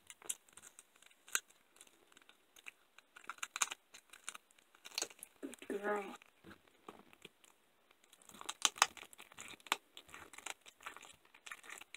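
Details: Indoor crinkling, tearing and crunching noises with a brief burst of speech; no animal voice is heard.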